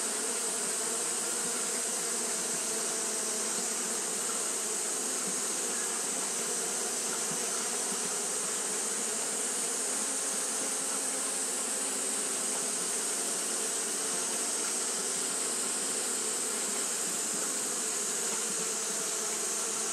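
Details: Japanese honey bees fanning nonstop on a hot day produce an unbroken, massed buzzing drone, low-pitched and even in loudness, over a constant high sizzling background.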